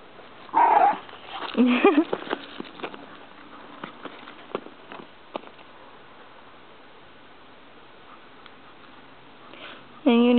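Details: Several small boarding dogs romping together in a play area at Christmas; a short high yelp, a few squeaky whines, then a sharp bark at the end, with shuffling, sniffing and a person's voice.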